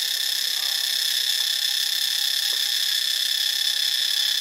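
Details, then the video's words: High, rasping cicada chorus from Ubon Ratchathani in Thailand, an unbroken electric-sounding whine with a quick regular flutter, no other clear sounds above it. "เสียงจักจั่น (Cicadidae)"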